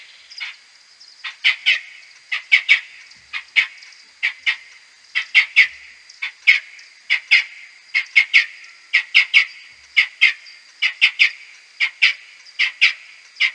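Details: Maternity roost of whiskered bats in a wooden hide, May 2022, Type A social calls slowed ten times: a long run of short buzzy chirps, often in pairs or triplets, spaced irregularly over a faint constant high tone.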